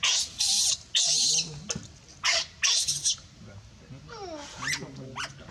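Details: A monkey gives loud, shrill screams in harsh bursts, calling for help from another monkey while a baby is being bothered.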